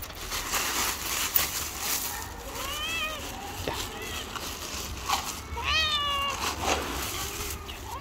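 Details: Stray tabby cat living on the street, a little angry: a few short, harmonic meows that rise then fall, the clearest around three and six seconds, over steady outdoor noise and murmuring voices.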